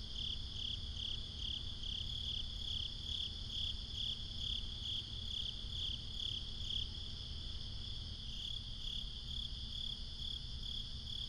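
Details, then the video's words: Crickets at night in binaural ambience: a steady high shimmering trill with pulsed chirps about twice a second, several callers overlapping, over a constant low rumble of background noise. "Cricket Conversations"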